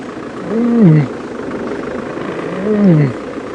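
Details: A lioness gives a contact call, not a cub call, on an early-morning safari drive on 9 June 2016 at Djuma Game Reserve: two soft, low moans about two seconds apart, each rising then sliding down, over engine hum.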